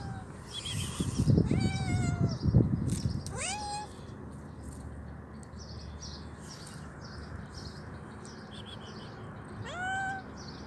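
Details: Hungry stray kitten with both legs amputated and troubled eyes gives several high, sliding meows, two close together early, another near four seconds and a last one at the end, over low handling rumble and faint rhythmic chirping.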